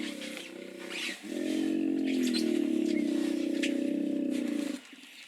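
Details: Rough, throbbing hippo bellow made of rapid low pulses, swelling after a brief break near the first second and rumbling on evenly for over three seconds, with scattered high bird chirps and outdoor noise behind.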